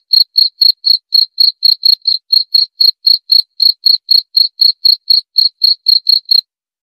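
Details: Cricket chirping, offered as a sleep aid for insomnia and as a natural rat repellent; a steady high-pitched pulsed chirp repeated about four times per second, very regular, with no other sounds.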